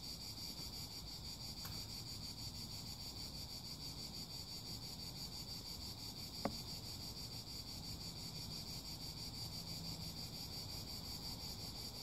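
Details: Cicada song forms a constant high, rapidly throbbing buzz, with two short clicks and a faint low hum underneath.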